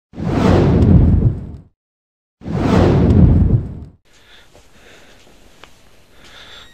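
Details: Two loud whooshing sound effects followed by near silence with faint scattered clicks.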